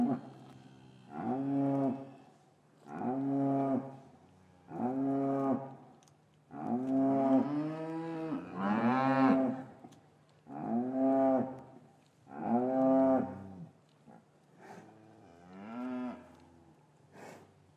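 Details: Repeated moos from cattle in a traditional English farm yard on a winter afternoon, calves taken from their mothers; about eight low, harmonic-rich calls arrive roughly every two seconds, some rising and bending, with the yard otherwise quiet.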